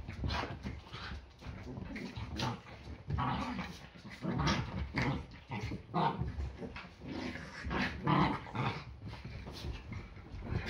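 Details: Yorkshire Terrier growling during a Sunday morning play fight, a ritual that happens almost every day before breakfast; rough, low growls rise and fall in repeated bursts throughout, mixed with snorts and scuffles.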